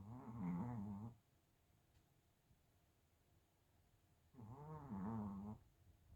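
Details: Chihuahua snoring with two long, rough, groaning snores over a second each, low and nasal with a wavering tone, separated by a few seconds of quiet.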